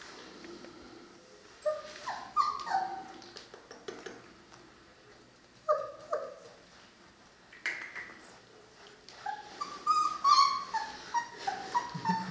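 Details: Three-week-old Cane Corso puppies from the litter of Paula and Bullet: thin, high whimpers and short yips in scattered bursts, some rising then dropping, with quiet room background between calls.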